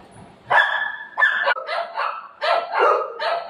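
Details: Playful Golden Retriever with its owner: a handful of drawn-out, high yelping barks with a whiny tone, each about half a second long, following one another closely.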